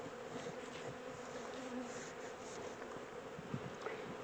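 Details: Dense, even buzzing of a honey bee swarm during transfer from a small temporary box to a bigger hive, a continuous rough hum without pauses.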